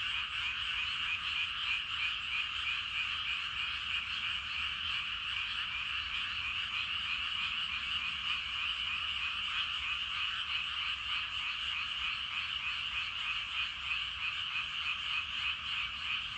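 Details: Many frogs in a rice paddy in the evening call at once, their rapid croaks blending into a continuous, pulsing, unbroken chorus that holds steady throughout.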